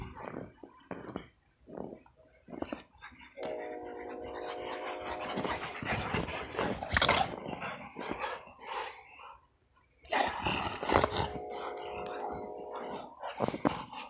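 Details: Snow wrestling in winter by an XL American Bully, with two sustained tonal growl-like drones of roughly two seconds each, separated by noisy scuffling, panting and snow crunching.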